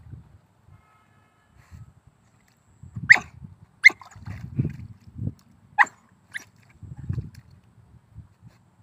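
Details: Hunting dog of the old-generation chó cỏ, a native Vietnamese dog line, letting out four sharp, short yelping barks at uneven gaps, over low rustling and thudding movement outdoors.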